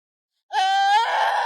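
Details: Young lamb on grassland pasture near Chifeng, Inner Mongolia, China, crying and chasing a departing girl as she says goodbye: one loud, drawn-out wavering bleat lasting about a second, tone rising slightly and breaking toward the end.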